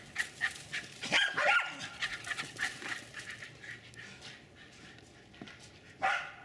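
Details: Two Jack Russell terriers running and chasing around a backyard in Lenexa, Kansas, with one dog doing nearly all the barking: sharp, high, excited barks in quick irregular bursts, densest early on, then quieter yips and one last loud bark near the end.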